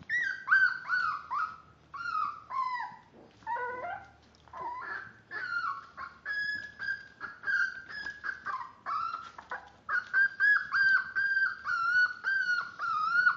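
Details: Several five-week-old Miniature Dachshund puppies, born March 30th, whimper and whine continuously in high, harmonic-rich cries, some sliding down, others held level, overlapping in quick succession with brief pauses.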